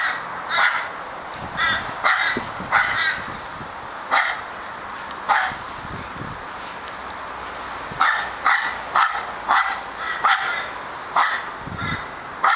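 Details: Male Australian Terrier Charlie, barking his little heart out: an uneven stream of short, harsh barks, bunched into quick flurries near the start and end with a quieter stretch in the middle.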